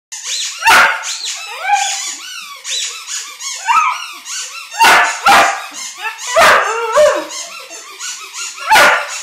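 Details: Puppy howling at a squeaky ball: wavering, rising and falling high-pitched howls and yips overlap one another, broken by sharp loud squeaks from the toy every second or two.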